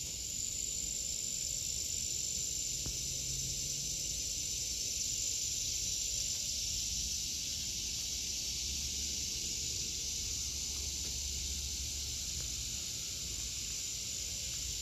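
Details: Cicadas in an August 2023 vegetable garden: a continuous high, hissing drone with a brighter buzzing band that is strongest in the first half, and a faint low hum underneath.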